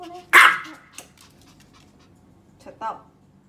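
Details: Pomeranian Yorkie dog giving a sharp, loud single bark, then a quieter, shorter second bark about two and a half seconds later, with faint room sounds between.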